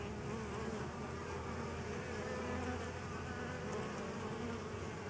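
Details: Honey bees crowding onto a DIY pollen substitute make a continuous, even, low droning buzz that holds steady throughout with no break.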